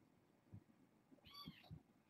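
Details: One brief, high kitten meow rising out of low rustling and soft bumps, from a fostered litter of six born August 29th, filmed around bedtime.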